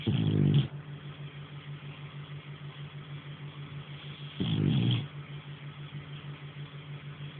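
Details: Sleeping French Bulldog Nara gives two rough, guttural snores about four seconds apart, with a constant low hum filling the quiet between them.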